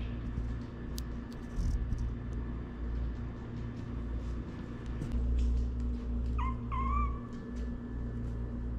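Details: Household cat family of a Shirazi male, a rescued stray female and three newborn kittens; two short meows, each rising then falling, come near the end over a loud steady low hum and faint clicks.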